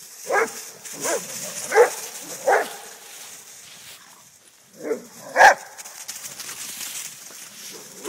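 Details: Rhodesian Ridgebacks, father Akono and son Ghandi, play fighting with a friend, Paul: six short, harsh barks, four about every 0.7 seconds, then a pause and two more, with faint rustling between.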